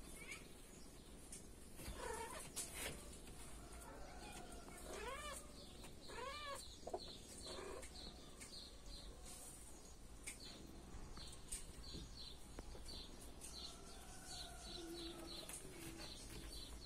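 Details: Kittens at dinner time; a few arched, harmonic meows rise and fall in the middle of the recording over a steady background of soft chirps, clatter and hiss.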